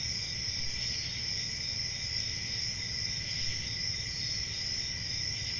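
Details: Crickets chirring in a steady, unbroken chorus, a shrill high ringing with a second, lower trilling band beneath it, over a soft low rumble of background noise.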